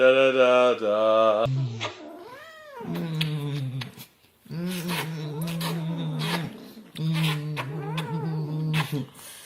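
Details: Domestic cat annoying its owners indoors: an opening bright meow, then a rising-falling mew, followed by long, low, drawn-out yowling tones in steady bouts with brief pauses, with human voices faintly mixed in.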